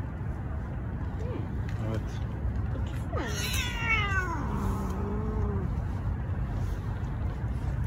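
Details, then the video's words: Two angry male street cats, strays fed daily, challenging each other over territory in a long standoff. Drawn-out wailing yowls swell and bend downward, with steady low traffic rumble and people talking quietly nearby. "Angry male cats challenge each other"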